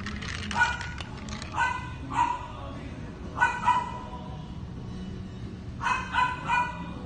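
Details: Male Havanese puppy, black and white with tan markings, giving short high yapping barks in small clusters of one to three, several seconds apart, with faint voices and room noise between.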